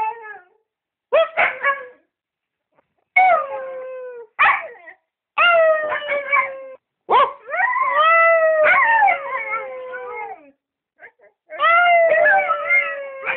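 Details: A Siberian Husky gives a series of short howls separated by brief silences. Each one swoops up sharply, then glides down in a wavering, mournful tone. Some start with yips, and the later howls run longer.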